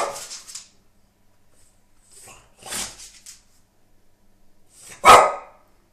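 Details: Nine-month-old French Bulldog indoors, barking at a washing machine he sees for the first time after it stood in the cellar: a few sharp, harsh barks spaced seconds apart, the loudest last.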